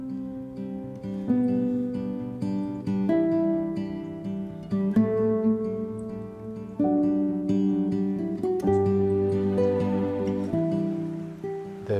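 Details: Gentle acoustic guitar music with stacked plucked notes and strums throughout, with no animal calls audible.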